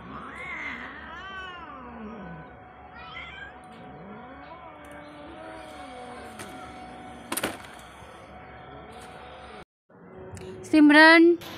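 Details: A cat meowing: several drawn-out meows that rise and fall in pitch, a sharp click partway through, then a brief pause and a final loud, higher cry that climbs upward, over a steady low background hum.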